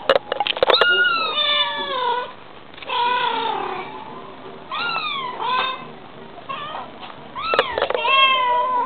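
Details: Bengal cat mum and kitten trading calls: drawn-out, wavering meows and chirps follow one another, several overlapping, with brief quieter gaps and a few sharp clicks.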